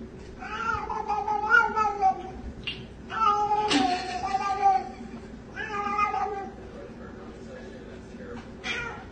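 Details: Domestic cat in a compilation of pet fails, giving a series of drawn-out, wavering meows and yowls in about four bursts across nine seconds, each rising and falling in pitch, with faint human voices in the background.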